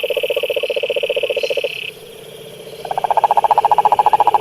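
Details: Frogs croaking in a pond: a fast pulsed trill runs for about a second and a half, stops briefly, then a higher pulsed trill rattles on steadily, over a constant high insect-like drone.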